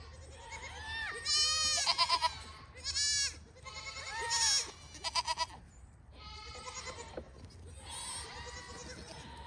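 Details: Farm-raised registered Pygmy goats in Knoxville, Tennessee, USA calling repeatedly: loud harsh bleats of varying length, some rising then falling, some broken into quick trembling pulses, with short quiet gaps between calls.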